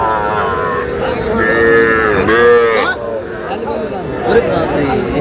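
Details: Sahiwal cattle, small bull and heifer calves bought by a farmer from Shariatpur, Bangladesh, on 11 August: two drawn-out, rising-then-falling moos over a steady murmur of human chatter.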